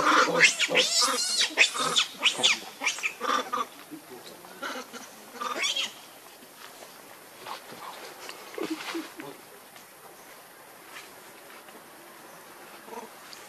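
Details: Young monkey Lucie sending out loud, harsh, rapidly repeated screeching cries for about four seconds, followed by scattered quieter squeaks and clicks.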